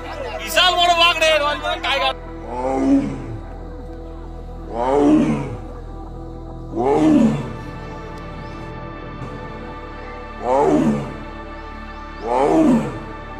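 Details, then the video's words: An angry Royal Bengal tiger in the West Bengal Sundarbans near Sajnekhali, on 23 February, gives deep, falling roars about every two seconds while advancing along the riverbank toward a tourist launch a few feet away. A brief burst of music and voices is heard first. "শুনুন কিভাবে গর্জন করছে ক্ষ্যাপা বাঘটি"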